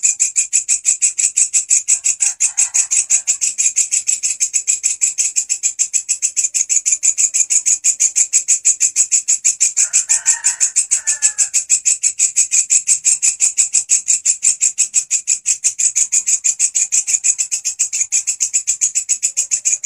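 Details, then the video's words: Grasshopper, loud and persistent, kept as a master sound for training songbirds such as canaries: a shrill, high, pulsed buzz repeated about three times per second, steady throughout, with faint lower chirps near two and ten seconds. "Belalang gacor volume pedas !! walang kecek si masteran burung kicauan"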